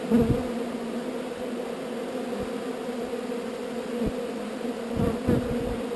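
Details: Swarm of honey bees being relocated from an undesired location, giving a steady droning buzz with a low hum and a brighter band above it, broken by a few soft knocks and thumps.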